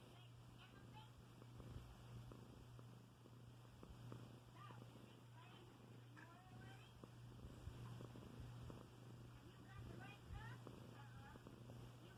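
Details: Milo, a pet cat tucked into bed, snoring and purring: a steady low rumbling purr runs unbroken through the whole stretch while a person talks softly over it.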